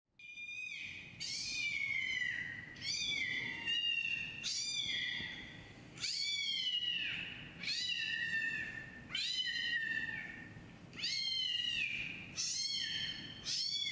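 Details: Kitten meows played from a laptop as Siamese-tabby kitten Chai searches around it indoors: high, harmonic-rich meows, each rising then falling, about seven in a row, spaced roughly one to two seconds apart.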